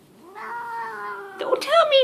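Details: Indoor pet cat Leo, grumpy while being held, lets out a single long rising moan that swells into a louder, harsher yowl at the end.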